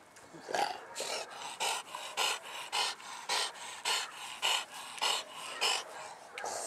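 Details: Dog from a mastiff-type family including English bulldog, bull terrier and American bully, panting in steady rhythmic breaths, about two per second, each a broad breathy burst, with faint background noise.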